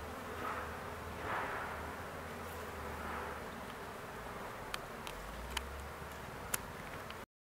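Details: Swarm of honey bees with a large queen, a steady low droning buzz throughout, swelling softly in places, with a few sharp clicks near the end.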